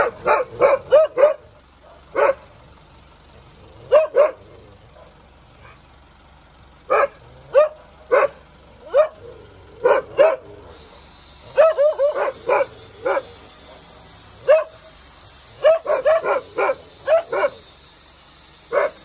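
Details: Dog barking steadily in clusters of two to four sharp barks separated by short pauses, continuing for the whole stretch, with a faint high electronic whine entering partway through.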